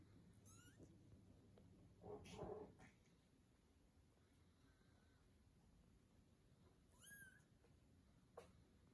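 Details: British Shorthair kittens, 19 days old, playing and eating with their mother cat. A brief faint meow opens the recording, a rustling thump follows, then one clear, arched, high-pitched meow near the end.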